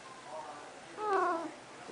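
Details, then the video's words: Snuggles, a female pet cat, indoors, trying to get out after a bath: one short harmonic meow in the second half, slightly wavering, over quiet room noise with a woman's voice nearby. "Talking Cat"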